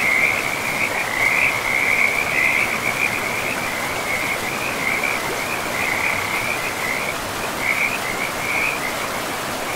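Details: Loud, high trilling chorus of frogs near a pristine forest river, rippling in quick pulses with brief dips in volume, backed by the constant hiss of rushing water.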